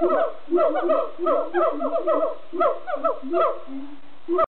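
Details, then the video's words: Siamangs at Amersfoort Zoo in the Netherlands sing in loud bouts of rapid, repeated hooting barks and rising whoops, overlapping one another. "Siamang monkeys singing in Amersfoort Zoo"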